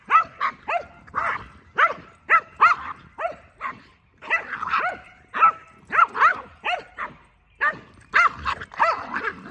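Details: Boston Terrier and Keeshond playing a jousting game, a rapid series of short, sharp barks and yips with rising-falling tones, repeated about twice a second with brief gaps throughout.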